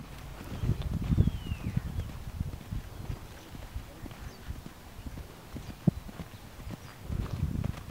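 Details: Large Welsh Pony gelding, foaled 2003, ridden in a hand gallop by a youth rider new to him; dull low hoof thuds come in quick uneven succession under a steady low rumble, with louder bursts near the start and end.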